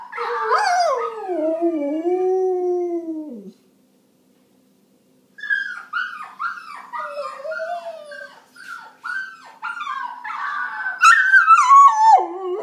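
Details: Domestic dog howling in reply to other dogs' sounds: a falling drawn-out howl, a short silence, then a series of choppy yips and broken howl notes ending in a high wavering cry that drops away.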